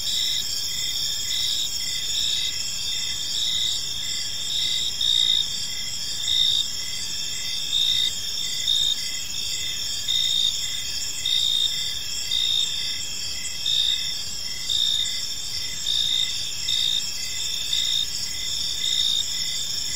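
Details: Evening ambience of crickets in a park: constant high-pitched insect trilling from many callers, with a nearer cricket adding repeated short chirps at an irregular steady pace.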